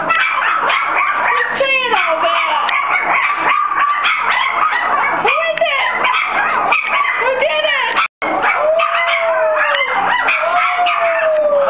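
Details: Four-week-old Soft Coated Wheaten Terrier puppies howling in response to a strange voice: wavering, rising and falling howls that overlap, then a long drawn-out sliding tone near the end, over a dense continuous background.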